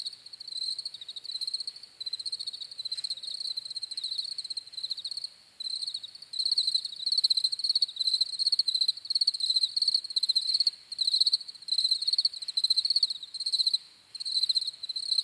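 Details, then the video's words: Crickets chirp steadily in a dense high chorus, fast pulsed trills broken into short bursts with occasional brief pauses, continuing throughout; nothing else heard. "CRICKETS CHIRPING SOUNDS"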